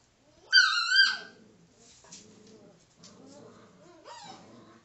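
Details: Five-week-old female Alaskan Malamute pup playing with her father: a loud high whining whimper with rising and falling tones near the start, then low soft grumbling growls and another short rising whine at the end, indoors.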